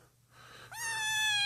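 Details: Lost, abandoned kitten named Snowball, found malnourished, shaking and dehydrated in the middle of the street, gives a clear high meow: a sharp rising onset then a long steady harmonic-rich tone, preceded by soft fainter sound.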